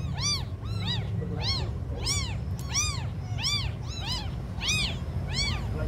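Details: Several small abandoned kittens calling nonstop, their thin rising-and-falling mews repeated about every two thirds of a second, bright and strong, against a low steady droning noise.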